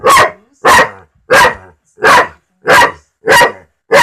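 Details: Pet dog barking at a talking cat: seven loud, sharp barks in steady succession, roughly one every 0.6 seconds, with nothing else heard.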